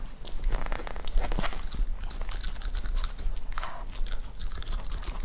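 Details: A Cavalier King Charles Spaniel eating raw chicken chews noisily, with wet crunching, biting and smacking in steady bursts, close up in a quiet room.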